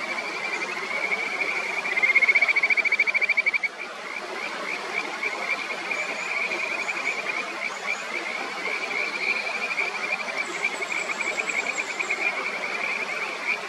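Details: Kajika frog by the upper Nameri River, Miyagi Prefecture, Japan, where one frog tries to push another off its favourite stone in a territorial fight; a loud rapid trill near two seconds, then fainter repeated trilled notes over constant rushing stream water.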